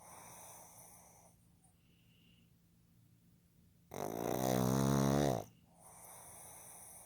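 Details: Pug Fukuzo, a male born 15 July 2020, asleep and snoring: one long, loud rasping snore lasting about a second and a half, rich in low buzzy harmonics, set between quiet stretches of soft breathing and faint room hiss.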